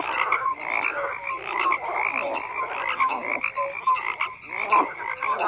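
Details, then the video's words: A chorus of frogs croaking together, rapid overlapping croaks and short tonal notes rising and falling in loudness, a continuous wall of calling. "FROGS CROAKING"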